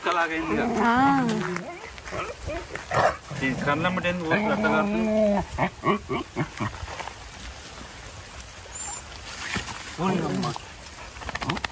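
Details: Reunited at a farm house with his siblings Maggie and Shiney and his owner, the dog Vizil lets out a run of wavering, howl-like whines and yelps over the first six seconds, then softer sounds, with human chatter throughout.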